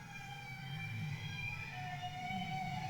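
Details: A bowhead whale off West Greenland holds a long, steady, horn-like tone rich in overtones, part of its warble song, which went on for hours.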